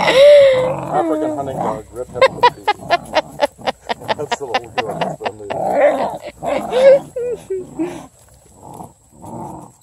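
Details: Redbone Coonhound puppies tearing into a blue hippo toy during rowdy play; a rising whine, then a fast string of clipped yips and barks, followed by low growling and muffled whimpers that fade toward the end.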